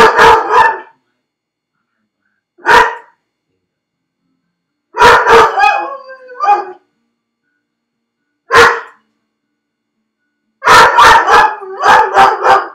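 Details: Felix, a dog shut alone in a crate while left at home, barks repeatedly in loud clustered bursts, some single, some doubled or in quick runs of four, with short yelps between.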